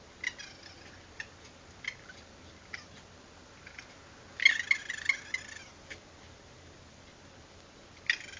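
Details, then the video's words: Raccoons at night, recorded by a security camera and very vocal: scattered sharp, high chirps with stacked harmonics, then a dense churring chatter burst lasting about a second, and one final chirp over a steady low hiss. "Raccoons making crazy noises caught on security camera"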